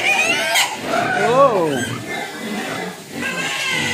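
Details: Hungry pigs whining for food, a clear arched squeal rising then falling, other pigs squealing and grunting around it, a person talking nearby.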